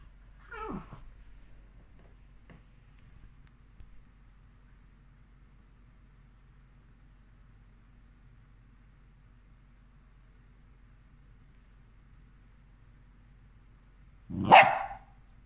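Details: Havanese dog named Coco indoors in a quiet room: one short, sharp cry near the start, then a long silence, then a second louder, fuller cry at the end. No other clear sounds.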